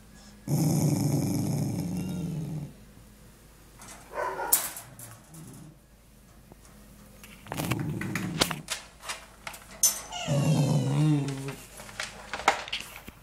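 A young Corgi gives deep, rough growls in several bursts of one to two seconds, a warning to keep away from something it is guarding. Short sharp noises and brief clatters come between the growls.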